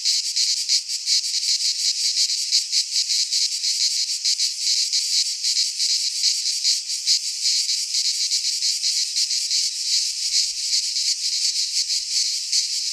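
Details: Midsummer cicada chorus from a pine forest in Greece, an unbroken shrill buzz that pulses quickly and evenly for the whole stretch, with faint low rumbles near the end.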